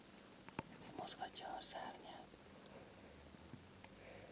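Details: Two pet crickets kept indoors, bought from a pet shop that sells them as reptile food: short, sharp high chirps repeat every third to half second, mixed with soft whispered speech and faint handling sounds.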